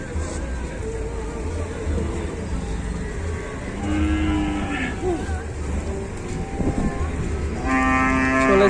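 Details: Cattle in Indonesia being helped onto a truck by four villagers after its leg sinks into the ground; two drawn-out, harmonic moos, the second louder and longer, over low engine rumble and villagers talking.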